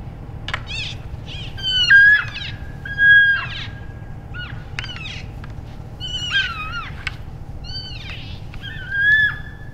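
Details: Several healthy elk bulls in late January in Canada's Rockies, vocalizing while sparring in play to practice for the next rut. Loud high mewing squeals, some held and wavering, some bending up and down, come in bursts among sharp clicks.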